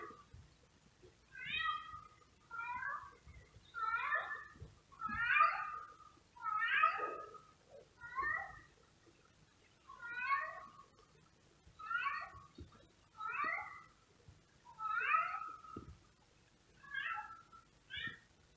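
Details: Male cat meowing outside, watched by house cats at a window; about thirteen drawn-out meows, each rising then falling, repeated every one to two seconds at a steady rhythm over low background hum.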